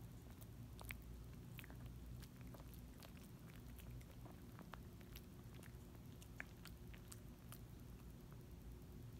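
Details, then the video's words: A small dog works on a Dentastix chew, with faint, uneven crunchy ticks and licking sounds against a steady low-pitched room hum. "quiet smol dog chewing licking dentistick dentistix"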